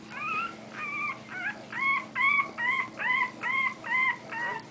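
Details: One-week-old Bulldog puppies whimpering and squealing: a series of short high whines, each rising then falling, repeated about twice a second with a steady faint hum underneath.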